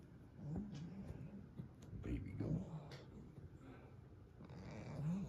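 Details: Female goat resting indoors by the fire on a snowy, windy mountain morning, content to be out of the wind, making soft low humming murmurs with brief rising tones, while a woman talks quietly nearby.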